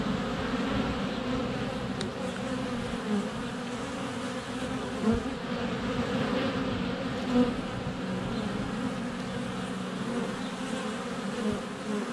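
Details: Honey bees in flight at a hive entrance on a sunny February day, recorded less than a foot away on a GoPro Hero 7 Black: a dense, steady low hum with swelling buzzes as bees pass close and land.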